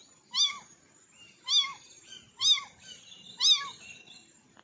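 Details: Four high, bent meows from orange kittens spaced about a second apart, with softer faint mews between them.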